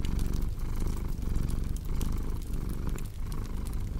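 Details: Low, continuous cat purr with gentle rhythmic pulsing between inhale and exhale, accompanied by scattered crackling from a burning fire in a small room.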